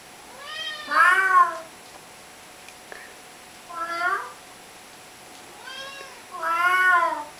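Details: Household cat chatting with its owner, uttering repeated meows: a loud, bent meow, then a shorter softer one, a faint call, and a final long, strong meow, each separated by a few seconds of quiet.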